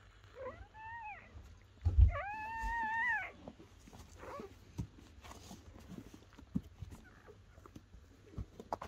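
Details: Newborn German Shepherd puppies from Betty's litter of ten, born indoors on the first night of labour under a dim camping light. Two squeaky, arched whimpers with an up-then-down tone, the second longer and louder. Faint rustling follows.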